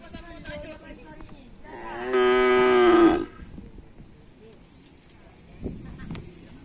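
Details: Cattle at an afternoon karapan sapi bull race training session at Lapangan Asemanis, team Konduk Alas Predator with Korban Perasaan; one loud, drawn-out moo lasting about a second, a steady harmonic tone that bends down at the end, with voices and chatter around it.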